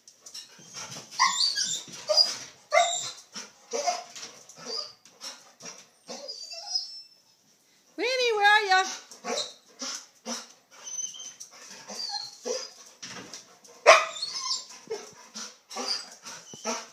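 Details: Golden Retriever named Winnie, who loves to jump, playing on a trampoline; high wavering whines and yelps come in bursts, with one long rising-and-falling whine near the middle, mixed with talking and thumps of bouncing.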